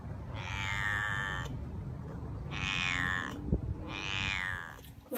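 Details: Domestic cat giving three drawn-out, bright descending meow-like cries over a low rumbling background hum.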